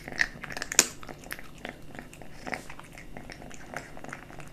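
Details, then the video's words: Kitten eating dry and wet cat food indoors, with irregular crisp crunches and clicking bites, roughly one or two per second. One sharper crunch stands out near the start. A faint hiss is in the background. "Kitten eating Dry & Wet cat food ASMR"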